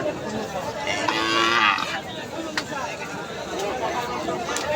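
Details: A Sahiwal calf, one of a group of calves offered for sale, gives one drawn-out, harmonic moo of under a second, while men talk in Bengali and chatter continues around it.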